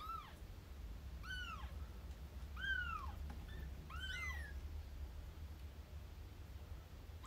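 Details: Rescued kitten meeting an older cat for the first time, the two growing close: a run of five short, high, arched mews roughly every second, some overlapping, over a low steady hum.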